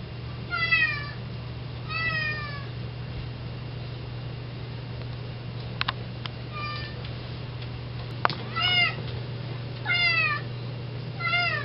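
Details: Indoor domestic cat meowing at the front door, wanting to go outside to eat grass; several drawn-out harmonic meows spaced a second or two apart, rising then falling, over a steady low hum indoors.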